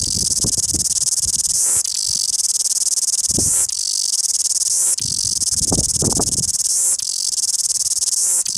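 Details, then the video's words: Loud cicada song recorded in Wellington: a continuous harsh high buzz, with strong pulsing phrases roughly every two seconds and brief dips between them, plus faint low knocks and rumbles underneath. "Loud cicada Singing Wellington"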